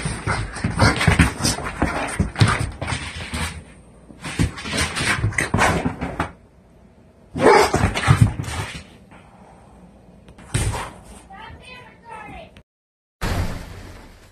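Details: A one-year-old, 90-pound blue pit bull vocalizing when it needs to defecate: loud, harsh, drawn-out whining and yelping bursts lasting a few seconds each, separated by quieter gaps, indoors.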